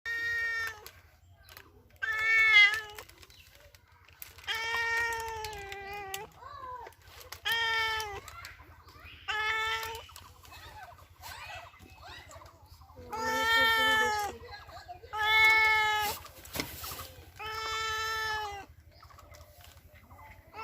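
A domestic cat meows again and again, each call a drawn-out, nasal cry that wavers in pitch and lasts around a second. The calls come in bursts every two seconds or so, with a faint low hum underneath.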